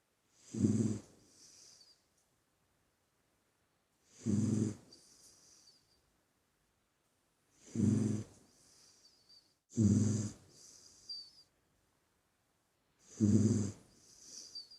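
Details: Puppy sleeping and snoring: five rasping, low inhaled snores spaced about three seconds apart, each followed by a softer wheezy whistling exhale, with silence between breaths.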